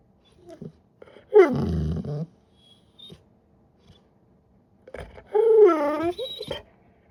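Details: Crate-training Great Pyrenees puppy making silly attention-seeking noises: a loud falling whine with a rough, groaning tail, then after a pause a longer wavering, yodel-like whine that dips and rises.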